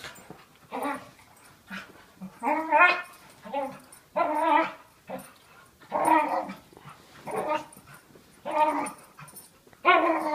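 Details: Dog making weird noises while play fighting with another dog, one a year-old of about 40 lbs, the other a 5-year-old of about 95 lbs; harmonic groaning growls in bursts of about half a second, repeated roughly every second, indoors.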